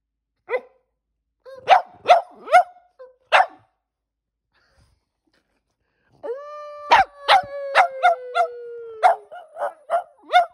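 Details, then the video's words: Two household dogs, Percy, a black and white Boston Terrier and resident howler, and Bear, a German Shepherd-Black Lab mix, respond to a human howl: a few scattered barks, then a long slowly falling howl under rapid yelping barks. "Dogs Responding To My Human Howl"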